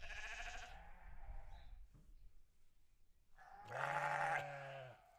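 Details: Farm sheep bleating twice: a bright, nasal cry at the opening, a quiet gap, then a louder, harsh, quavering bleat of under a second near the end.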